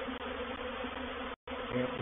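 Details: Dense, loud buzzing of a honey bee reproductive swarm moving into a bait hive at Painted Peacock Manor on 04/07/21, a continuous whirring hum broken by one short gap.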